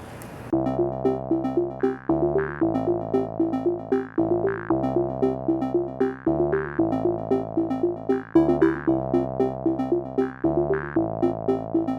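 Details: Bouncy synthesizer music plays throughout in a regular repeating keyboard pattern, with no animal voice heard.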